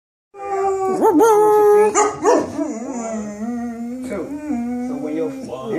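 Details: Female Cane Corso singing the blues: long, wavering, mid-pitched howls that slide up and dip in swoops, held for several seconds each, with a person's voice and music faintly underneath.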